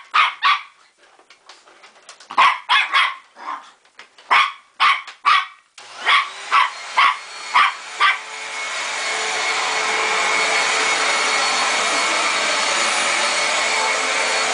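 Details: Pet dog scared of a vacuum cleaner barks repeatedly, roughly two barks per second in uneven bursts, until the vacuum starts and its steady roar drowns everything after about eight seconds.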